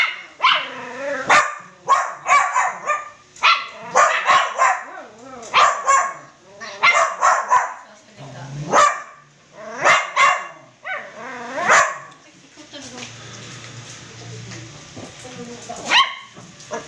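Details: Crossbred poodle puppies kept as household pets give repeated shrill yips and short barks in clustered volleys through most of the recording. The calling fades into a low hum and faint background noise toward the close.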